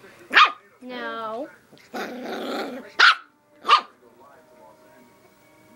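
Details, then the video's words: A nine-week-old Rat Terrier puppy gives sharp, high yaps while the owner tells it to stop between the barks. "Rat Terrier Puppy Barking"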